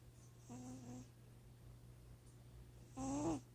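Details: Sleeping cat snoring: two tonal, buzzy snores with clear overtones, the first lasting half a second and steady, the second louder, briefly rising at its end, about two seconds apart over a constant low hum.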